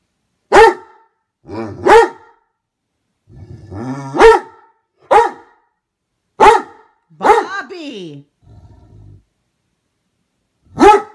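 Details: A Great Dane barking indoors, jealous of his brother: deep, harmonic barks given singly about every one to two seconds, about seven in all, with a growly, whining bark near the middle and a woman scolding the dog around them.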